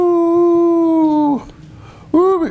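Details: Pet schnauzer named Rooby-Roo, still howling: a long, steady, tonal howl that holds level, then slides downward and breaks off. After a short quiet gap, a second, briefer howl rises and falls in an arch.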